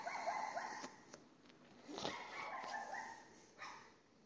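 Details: Neighbour's dog in Castelldefels, Spain, barking at 22:30 on the night of 18 May 2021 from across the street: moderately distant, whiny barks and yelps in short groups, with a hiss of background noise.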